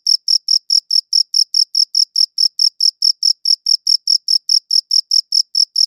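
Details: A single cricket's shrill pulses, chirping at a slightly slower, clearly separated rhythm of about four to five chirps per second, each chirp high and crisp, recorded on a good audio recorder with no background noise.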